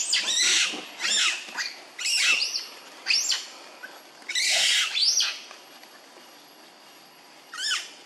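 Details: Monkey babies of the Mohanoko troop, living in an archaeological park and waiting for food, give loud, high, harsh bursts of squealing with falling pitch sweeps, about every second at first, then a quiet gap before a final shriek.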